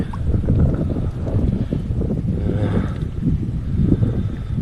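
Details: Low rumbling wind and boat noise with water sounds, and no animal voice. The roar stays deep and steady throughout, with no calls or songs rising above it.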